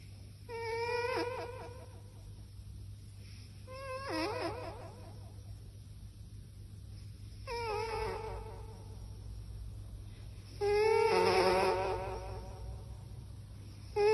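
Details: Sleeping cat snoring into an echo microphone: whistly, tonal snores with a wavering pitch and ringing echo, four bursts about every three and a half seconds, over a steady low hum.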